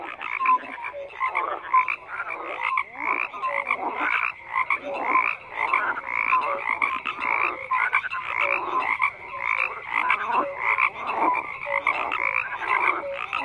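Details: Frog chorus with many overlapping croaks and rattling pulses, dense and continuous, with short whistled notes mixed in, steady with no pause.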